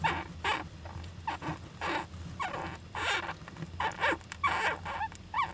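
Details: Young Japanese giant flying squirrel in an owl nest box, 19 July 2010, giving rapid bursts of scratchy squeaks and snuffling sneezes, about two per second, against a constant low hum.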